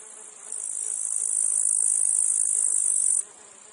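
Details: Cicadas and flies in a meadow or field give a steady, high, hissing buzz that swells in and cuts off abruptly.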